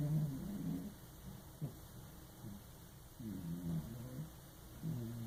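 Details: Fat house cat named Lucky snoring while asleep in a bathtub, low buzzy rasps rising and falling with each breath, several snores spaced a second or two apart, a faint click near the middle.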